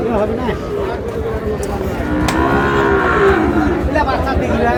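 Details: Sahiwal bull calves at a cattle market in Narsingdi, 19 July, where a farmer is buying calves; a drawn-out mid-pitched moo swells and fades over a constant murmur of crowd chatter and nearby voices.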